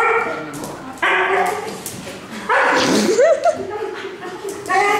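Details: Young female Alaskan Malamute, almost one year old, greeting a visiting family member indoors and overexcited with joy: drawn-out whining, yodel-like howls in several bursts, short rising-falling yips near the middle, with a woman's voice overlapping.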